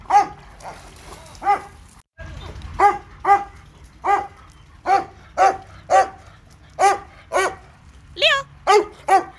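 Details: Leo, a Labrador Retriever at the dog park, barks in a long insistent series of around sixteen harmonic barks, briefly broken by a short cut, with one higher yelping bark near the end.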